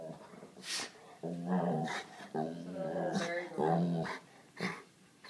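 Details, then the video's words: Seven-year-old white Labrador Retriever female, indoors, complaining and begging for attention while trying to get a pug to play: drawn-out, moaning whine-growls in several rising and falling stretches, with short pauses between. "begging for attention"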